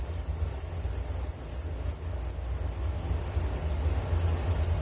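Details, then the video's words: Nature sound of crickets meant for sleep: continuous high-pitched pulsing chirps from multiple insects blending into a steady shimmer, accompanied by low-frequency background rumble. "Suara Jangkrik Penghantar tidur || Nature Sound of Crickets"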